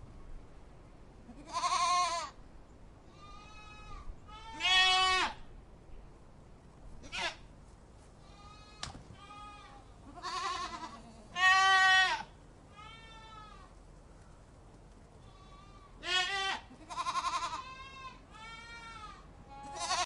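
A goat kid calls again and again with high, quavering bleats, each a brief nasal burst with a shaky tremolo. Softer, fainter bleats fill the gaps between the louder cries.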